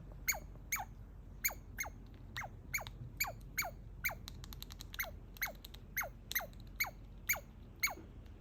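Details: A baby squirrel under a deck railing gives a rapid series of high, sharply falling squeaks, about two each second, screaming excitedly on seeing a familiar person while chewing a walnut.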